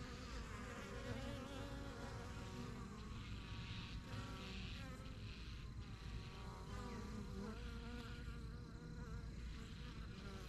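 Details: Honey bees at a busy yellow backyard hive, the strongest of a first set started in spring 2023, flying in and out. Many overlapping buzzes form a steady humming drone with wavering tones throughout.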